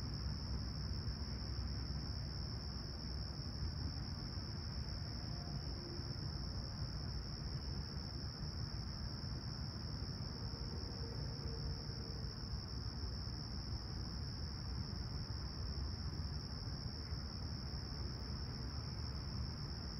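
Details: Crickets give a continuous, even, high-pitched trill over a heavy, steady rumble of distant traffic on a clear, calm summer sunrise at Humber Bay Shores, Toronto, 28 July 2020, about 20ºC.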